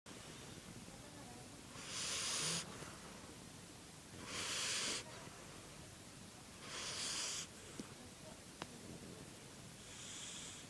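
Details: Sleeping dog snoring: harsh, hissy breath bursts, each about half a second long, repeating roughly every two and a half seconds, four in all, with quiet room hush between them.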